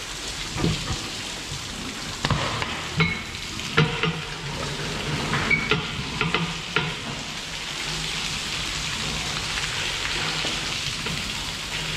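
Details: Sizzling and stirring of food in a pan, with scattered clicks and knocks and light rain-like hiss; no animal voice is heard.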